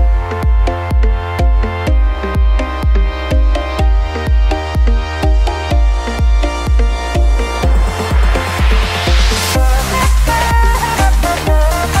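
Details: Driving electronic dance track with a regular thumping kick drum and a rising synth sweep; no animal voice is present.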